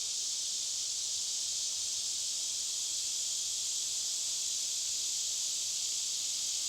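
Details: Cicadas deep within a forest, a few miles into the woods, sustain a level, high-pitched hissing whine without interruption across the whole stretch.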